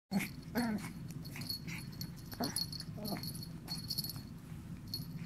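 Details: Nyssa, a Yorkshire Terrier, playing with a cricket ball: short wheezy, whining whimpers with falling pitch, a few spaced across the first three seconds, over a steady low indoor hum and a faint high electronic whine.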